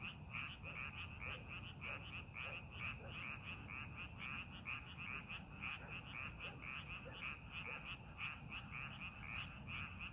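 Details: Ten seconds of a frog chorus in rice paddies prepared for farming: continuous bright, clicking croaks repeated densely and steadily, a few lower notes between them, over a constant low rumble.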